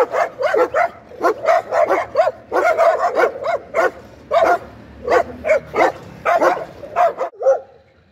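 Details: Rapid, excited dog barking in quick bursts of two or three barks, almost continuous for eight seconds, fading at the end.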